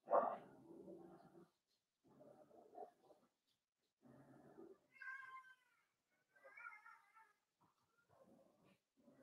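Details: Four-week-old Cavalier King Charles Spaniel puppies in an indoor home puppy pen, meeting other household dogs and trying puppy mash; two high, wavering, harmonic whimpers rise and fall midway, between lower muffled murmurs and soft rustling.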